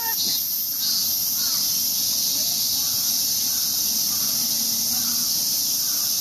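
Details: Loud cicada chorus in Ueno Park, Tokyo, during the yearly emergence: an unbroken high-pitched sizzle fills the air, with a man speaking and faint bird notes underneath.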